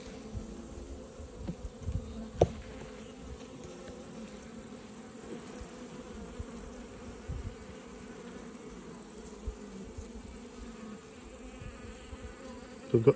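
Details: Continuous low hum of a honey bee colony while frames holding brood and pollen are pulled from a weak hive in autumn; the drone stays level throughout, with one sharp knock early and handling noise at the end.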